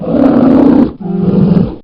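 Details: Polar bear roaring: a harsh, throaty roar lasting nearly a second, then a slightly lower, softer second roar that fades out at the end.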